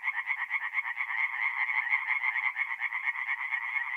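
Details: Tree frogs at a north-east Italian forest pond on an April night, calling in a close, continuous chorus of rapid pulsed croaks, each about a quarter second apart, steady and loud.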